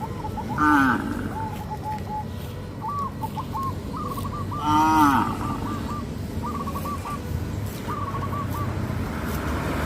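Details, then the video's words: Tame cows in a herd walk in an orderly line toward grazing fields on a traditional village farm; two short, low moos rise and fall near the start and middle, while repeated bird chirps run through the background. "sound of cows"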